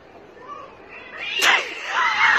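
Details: Cats fighting: a low rising moan swells into a sudden harsh screech, then a sustained high yowl continues to the end.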